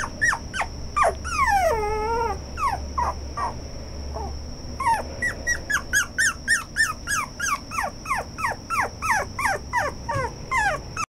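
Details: A red Toy Poodle gives rapid, high whines and yelps that slide downward, about three each second.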